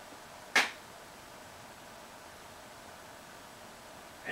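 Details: A hushed indoor room where two sharp, brief clicks or taps stand out, one early and one at the very end, against a soft steady hiss.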